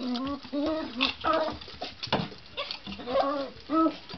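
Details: Excited male poodle weighing seven pounds, making happy sounds while pushing a jolly teaser ball around obstacles like a coffee table indoors; short tonal whimpering bursts, some steady and some wavering, recur several times among soft knocks and bumps.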